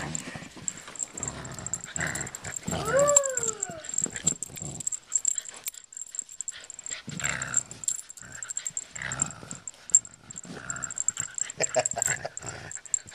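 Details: Honey, a female pet dog, growling while playing tug with a pull toy: rough, noisy growl bursts come and go across the clip, with a short arched whine-like note near the start and toy-handling noise throughout.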